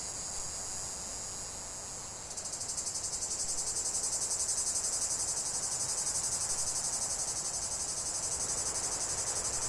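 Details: Cicadas singing in a relaxing nature soundscape: a softer steady buzz that swells after two seconds into a louder, rhythmically pulsing shrill chorus.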